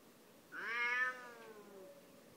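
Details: Bengal cat pestering another cat before being checked by a third: one strained, nasal meow that rises briefly and then slides down, trailing off over about a second.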